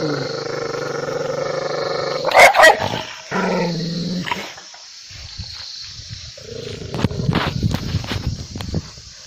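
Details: Angry dog holding a steady growl, then snapping out a quick double bark, followed by quieter scuffling noise and softer rumbles.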